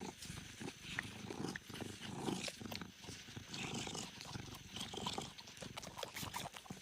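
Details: Kitten nursing on its mother's milk: dense, wet suckling clicks and smacking bursts over a low, steady rumble, with a few faint high squeaks scattered through.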